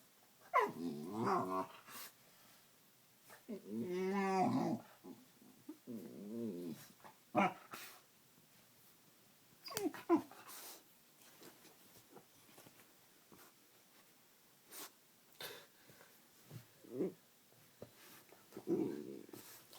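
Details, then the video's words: Playing pet dog indoors making funny noises: wavering growl-whines early on, a longer harmonic grumbling howl, then scattered short barks and clicks from play with a person. "My dog makes funny noises"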